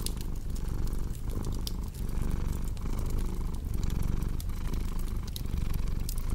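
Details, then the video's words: Domestic cat purring steadily indoors, a low rumbling drone that swells and eases roughly every 0.7 seconds with each breath, while sharp pops and crackles from a cozy fireplace burn alongside. "Purring Cat"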